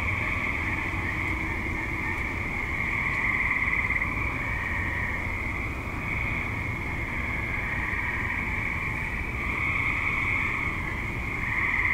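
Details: Many tree frogs active in a suburban setting after dusk, their massed high-pitched trilling forming a continuous drone that swells slightly in places, with steady low-frequency rumble beneath.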